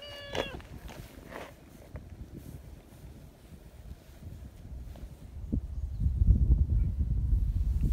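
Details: Talkative silver tabby community cat, friendly and affectionate, meowing at someone hiding behind a bench outdoors: one short harmonic meow near the start, a fainter second call after, then low rumbling handling and ground noise.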